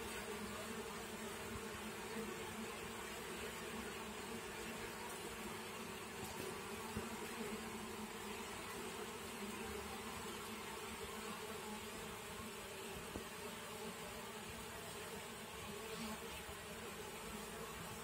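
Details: Honey bees at a small top-bar hive: a steady, dense hum of many wings with layered droning tones, unbroken from start to finish and without pauses or other distinct sounds.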